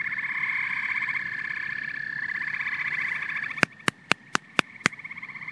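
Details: Frogs and toads calling together: a steady, high, buzzing trill chorus for about three and a half seconds, then six sharp, loud clicks evenly spaced about a quarter second apart over a faint background.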